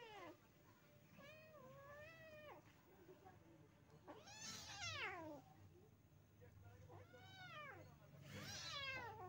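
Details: Mother village cat with her kittens, giving a series of four drawn-out meows, each rising then falling in a smooth arch, spaced about two seconds apart, with a steady low hum underneath.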